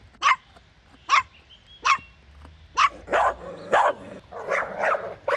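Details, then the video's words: Playful puppies in a toy tug-of-war with their mother outdoors. Sharp yelping barks come roughly once a second, then turn into longer, rougher, overlapping barks toward the end. "Cute Puppy Toy Battle with Mother Dog | Funny Barking Sounds"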